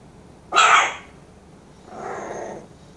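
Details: A 16-day-old Bull Terrier puppy "roaring" in the morning gives a loud, rasping squeal, then a softer, longer follow-up cry.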